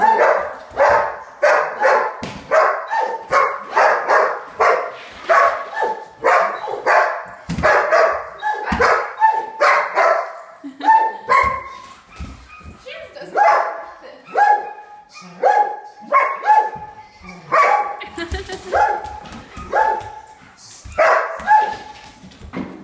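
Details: Several German Shepherds flip out at a held cup of water, which they hate: rapid, continuous barking indoors, harsh barks tumbling over each other at first, then spaced yelping barks with whiny tones, one or two per second.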